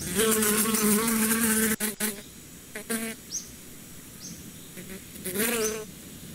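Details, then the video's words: Low, steady droning hum of a bee close by for nearly two seconds, followed by short buzzy bursts. Faint high chirps sound in between, then a final wavering buzz near the end. "Relax with the sound of the bees"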